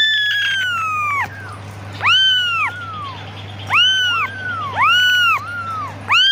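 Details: A kitten calls to its mother, opening with a long, slowly falling meow, then four sharp, arched meows in quick succession; a low steady hum runs throughout.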